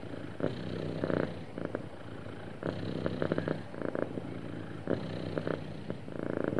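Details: Sweet, happy cat purring: a soft, low, buzzing rumble rising and falling in rhythmic breath cycles about every second or two, with no other sounds intruding.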